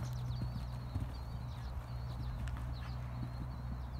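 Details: Off-the-track Thoroughbred mares Betty and Harlow jumping early courses away from home, roughly their fifth jumping session since retiring from racing in September. Quick, muffled hoof strikes thud in a loose rhythm beneath a constant low drone and a faint high whine.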